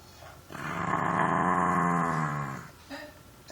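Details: Bulldog puppy indoors making funny gremlin-like noises: a sustained rumbling, throaty growl about two seconds long with dense rapid pulsing, starting abruptly and fading out, followed by a faint short sound.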